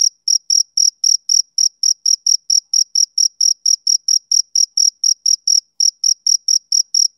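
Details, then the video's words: Male cricket chirping during a summer evening, sharp high pulses repeated a little over three per second at a regular beat, background otherwise silent. "Cricket Chirping Sound Effect"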